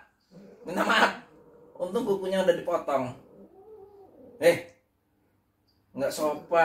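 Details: Domestic cat, grumpy and angry after being teased while trying to sleep indoors, gives a low drawn-out yowl that rises and falls, between stretches of people talking to it in Indonesian.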